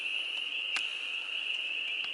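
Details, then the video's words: Frogs mating in a homestead farm pond on April 25, 2022, as spring warms up, hold a steady high-pitched trilling chorus without break, with a few sharp clicks scattered through. "Frogs Song"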